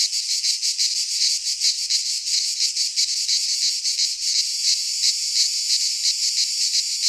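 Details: Cicadas singing in midsummer in a pine forest in Greece; a dense, loud buzzing drone high in pitch, pulsing in quick throbs about one and a half times per second, with no other sounds.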